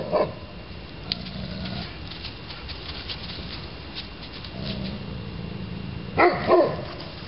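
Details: Neapolitan Mastiff, Maciste di Maciste, gives low rumbling, growl-like sounds, then two short deep barks close together near the end, over steady background hiss and scattered clicks.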